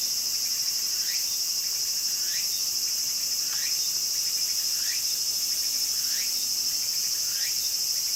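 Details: A steady high, sizzling drone of Walker's cicadas calling actively in a garden, with short, faint, rising swept notes repeating about every second underneath the buzz.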